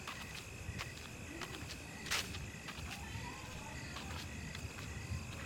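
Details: At night after rain, crickets give a steady, high, ringing trill, with scattered dripping clicks and a low background rumble.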